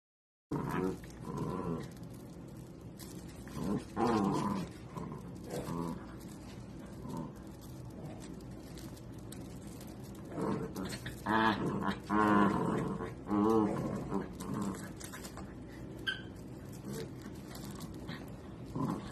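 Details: Miniature dachshund at play: irregular bursts of rough, harmonic growling and grumbling, rising and falling over about twenty seconds with short pauses, louder around the middle, with some background rustle.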